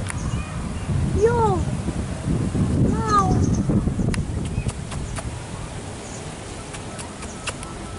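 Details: Tigger, a male house cat living with an expat family in a warm part of Asia, utters two arched, falling meows about two seconds apart. Rustling, clicking handling noises and outdoor background follow after the calls.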